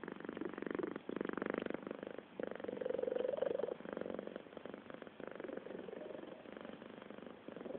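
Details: Cat purring steadily, a rough, throbbing hum pulsing in rhythm with breathing. Short pauses come between breaths, and there are no other clear sounds.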